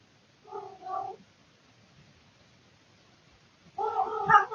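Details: Male domestic cat calling indoors at night, recorded by a surveillance camera: one short, quieter wavering yowl, then a long silence, then a louder, harsher yowl starting near the end.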